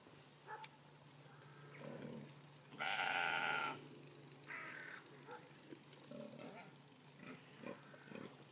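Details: Golden Guernsey goats at feeding time; one loud, wavering, harmonic bleat lasting almost a second stands out, with a few short quieter calls and rustling around it.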